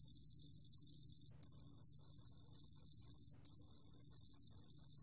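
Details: Korean 루루곰귀뚜라미 cricket, 2020 National Institute of Biological Resources recording: a sustained shrill high trill interrupted by two very brief gaps about two seconds apart, then resuming at the same pitch.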